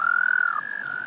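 A frog gives a steady, musical trill, a mating call to attract a mate.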